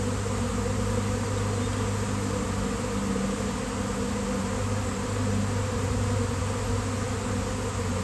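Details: Outdoor swarm of honeybees gathering on a basketball hoop in nice weather; an unbroken, deep, layered buzzing drone with slight swells in loudness and nothing else prominent.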